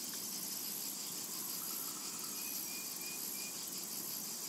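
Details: Summer meadow cicada chorus, a continuous bright sizzling drone high above a soft low hum, with a couple of brief, faint bird whistles around the middle.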